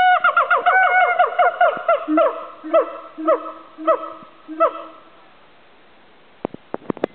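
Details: A siamang at Dubbo Zoo, recorded in 2010, gives a rapid series of loud, tonal hoots that slide downward, then slows into spaced barking notes.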